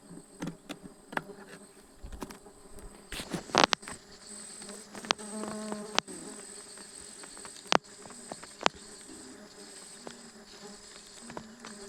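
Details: Stingless bees during a honey harvest on 24 June 2026: a low droning buzz with stacked harmonics that wavers in pitch, broken by sharp clicks and taps from handling the hive.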